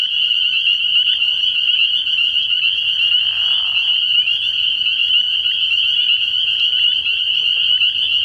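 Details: Dense nighttime chorus of spring peepers at a frog pond in early spring, countless high piercing peeps fused into a continuous shrill drone, a short lower buzzy trill rising midway.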